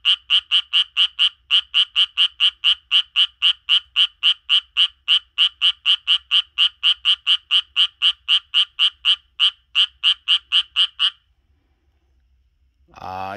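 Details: A Japanese tree frog living in a garden calls in a fast, steady run of raspy pulses, about four each second.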